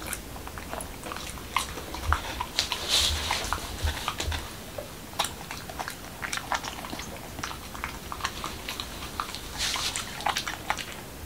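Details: Pembroke Welsh Corgi, an adult male in Washington DC, eating a dog-friendly taco of whole wheat shell, cucumber and lean ground beef: continuous wet crunching and smacking bites with irregular sharp clicks, indoors close up.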